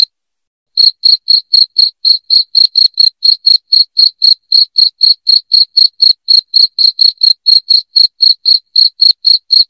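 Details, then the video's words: After almost a second of silence, a cricket starts a loud, even run of short high chirps, roughly four per second, meant to repel rats indoors. Nothing else is audible. "SUARA JANGKRIK NYARING"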